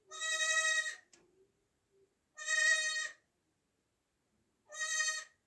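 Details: Three drawn-out, quavering bleats from a newborn goat kid, recorded in 2024, about two seconds apart, with a soft click and a faint low murmur between the first two.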